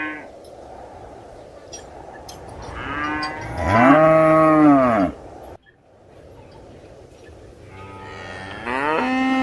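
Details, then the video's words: One loud, drawn-out cow moo swells and falls over about two seconds. A second moo starts rising at the end, over a low background hum. "Realistic Cow Mooing Sound Effects"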